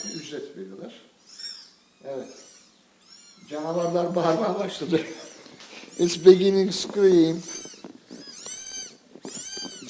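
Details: A litter of Scottish Fold kittens, one month old, mewing in high, wavering cries that come in a quick series toward the end, with a man's speech and short gaps of quiet before them.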